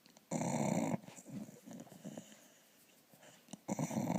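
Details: Snoring from a sleeping dog, with two loud, harsh, buzzing intakes of breath at the start and the end. Quieter, shuffling breaths fill the gap between them, and the room is otherwise still.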